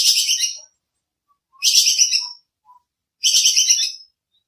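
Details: Bajing kekes squirrel giving a sharp call used as practice sound for songbirds: three rasping, rapidly pulsed bursts under a second long, spaced about 1.5 seconds apart, with faint tonal blips in the gaps.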